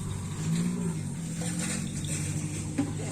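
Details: Engine drone and revving with a murmur of voices in the background, no animal call heard.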